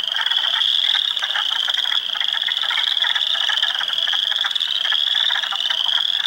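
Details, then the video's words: Hundreds of spring frogs calling together in an Ontario swamp at Heartland Forest in early April, including spring peepers, wood frogs and eastern chorus frogs; a steady wall of shrill overlapping peeps over rattling, clucking calls with no pauses. "Frog Sounds HQ HD"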